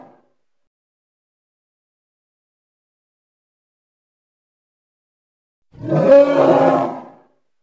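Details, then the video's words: One harsh, harmonic bellow from a Congo hippopotamus, lasting roughly a second and a half, preceded by long silence. "Hippo (Congo) Sounds"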